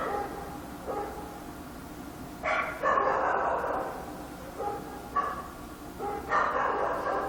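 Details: Korean dog barking at night, sounding muffled and rough: short bursts of two or three barks, with a steady background hiss throughout.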